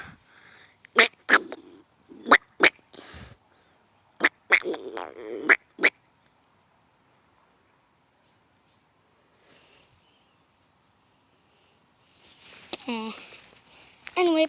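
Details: Squirrel making odd noises: sharp clicking pops in short bursts, a long quiet gap, then a run of wavering squeals that rise and fall near the end.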